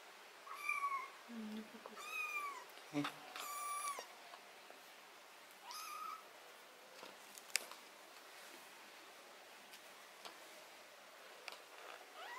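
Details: A cat being treated for botfly larva, ringworm, fungus and blackheads on its skin meows several times in quick succession, each meow a wavering, drawn-out cry. People talk nearby, followed by small clicks and rustles of handling.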